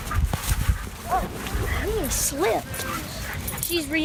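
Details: Ellie Mae, a 13-month-old German Shepherd in board-and-train obedience work in Wilmington, North Carolina, reacting to other dogs: a run of high, arched whines and yips, each rising then falling, interrupted by a man giving commands and background rumble.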